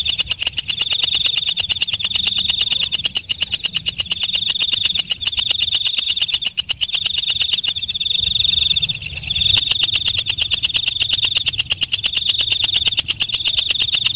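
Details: At night a walang kecek katydid keeps up a long series of crisp ticks, roughly eight each second, while a shrill high note pulses on and off in segments about a second long. A brief softer, hissier stretch comes mid-way.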